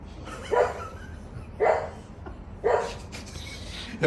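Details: A one-year-old Pembroke Welsh Corgi barks at a bird, giving short, sharp barks about a second apart.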